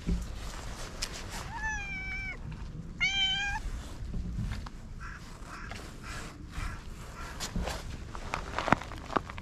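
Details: A stray cat that has warmed up and now rubs against people gives two short meows about a second apart, the second rising slightly, followed by scattered clicks and rustling with low background noise.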